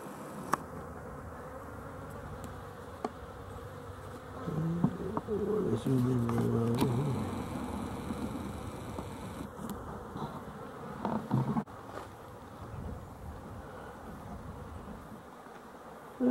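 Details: Honey bees near a slatted rack hive as the sun goes away, 12-11-23; a constant low hum, then a louder, rich buzzing swell for several seconds as a bee passes close, fading back to the quiet drone.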